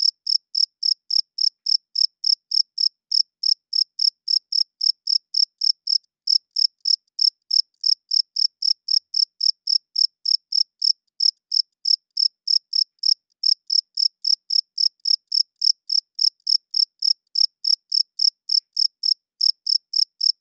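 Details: Night-time cricket chirping from males rubbing their wings to court females and hold territory. Shrill, high chirps repeat quickly and evenly, about four each second, broken by a few short pauses, with nothing else audible.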